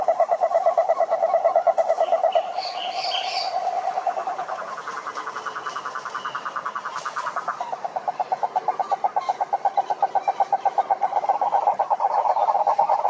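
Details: Cururu toads, Rhinella marina, chorusing wild at a lake in Brazil's Atlantic Forest: overlapping low pulsed trills change and hand over between callers, with a few brief high bird chirps early on.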